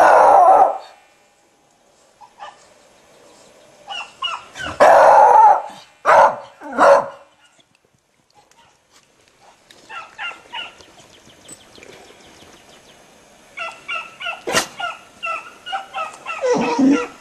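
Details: Barks from Toby, a Beagle: a loud bark at the start, a cluster of strong barks in the middle, then quieter, evenly repeated yelps and a final louder bark.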